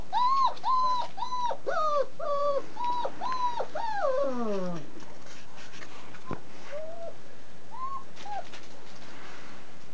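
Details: Twenty-nine-day-old German Shepherd puppies from a breeder's family-raised litter whimper in a rapid string of high, arched whines that slide downward and fade into a low drawn-out moan, followed by a few scattered softer whines.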